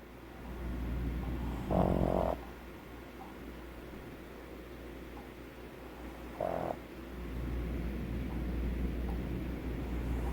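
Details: Pug dog snoring, a flat-faced breed whose anatomy hinders airflow through the muzzle and makes breathing noisy; two louder, droning nasal snores about five seconds apart rise over a steady low rumble of breathing.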